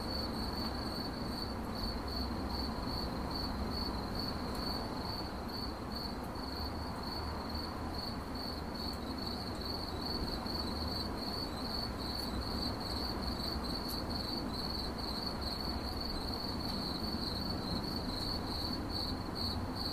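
A cricket chirps steadily in a high, pulsing trill over a low background rumble.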